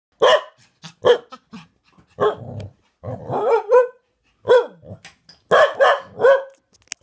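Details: Cardigan Welsh Corgi at home barking and vocalising to its owner, said to be telling her it loves her while another dog tries to act like a corgi; short sharp barks mixed with longer yodelling, warbling howls in uneven bursts.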